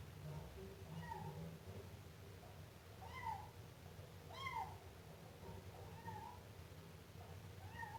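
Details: Siamese kitten repeating soft, high meows, several of them rising and falling, spaced about a second apart over a steady low background hum.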